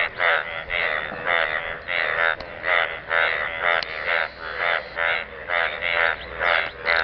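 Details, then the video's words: {'caption': 'Frogs croaking in a pool of water: a steady run of short, raspy, buzzing pulses, about two every second, that keep going throughout.'} "Frogs croaking sound in the pool of water"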